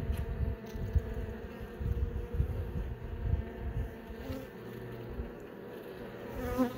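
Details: Honey bees in a kept hive, several young bees emerging from brood cells during a hive inspection; a low, steady droning hum with pulsing swells in loudness.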